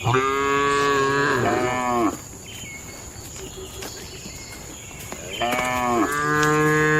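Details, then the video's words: Tame cattle in a farm barn during their daily routine, feeding and gathering: two long harmonic moos, one at the start lasting about two seconds and another from about five and a half seconds, with a quiet pause between. "Moo Suara Sapi Jinak"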